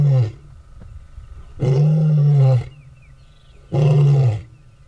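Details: Male lion at a territory fence dividing two males' ranges, asserting dominance over a younger rival; three deep, sustained moaning roars, each about a second long, separated by pauses, with a faint steady hum behind.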